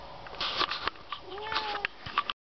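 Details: Cat, Issy or Lucas, travelling by car to the veterinarian, lets out a short, slightly rising meow midway through, among clicks, rustling and a man's voice.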